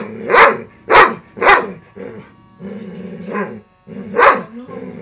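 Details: Pet dog, female, barking at a broken robotic frog toy with a loud motor: sharp loud barks, three in quick succession then two more spaced out, with a steady mechanical motor hum beneath; a person urges her on.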